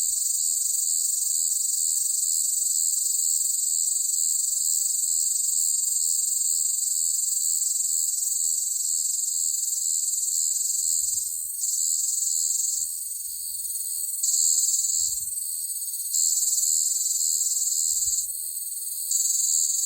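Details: Loud cicada on a hot summer day, its continuous high, hissing drone pulsing and wavering in intensity in the second half, shifting slightly in pitch with brief dips.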